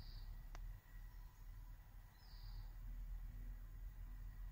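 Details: Captive bell crickets kept indoors in Hokkaido, bred from store-bought stock and watched by the cats Coco and Cocoa: two short, high, ringing trills about two seconds apart over a low background rumble.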